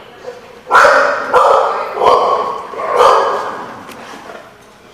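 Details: Dog recorded on 15 June 2015, giving four loud, harsh barks spaced roughly every three-quarters of a second, each ringing out briefly before fading.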